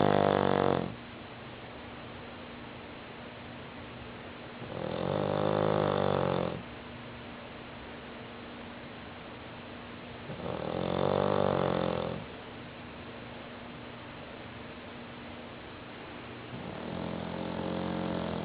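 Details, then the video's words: Fat female bulldog of about 60 pounds snoring steadily in a small room, with four loud, raspy, rumbling snores spaced roughly five to six seconds apart and quiet breathing between them. "Fat bulldog snores"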